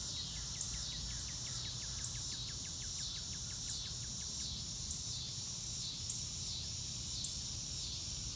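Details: Under a blue sky, crickets keep up a bright, unbroken high buzz while a bird repeats quick falling chirps in a rapid run, with occasional sharp ticks on top. The recording is in real time and has no music.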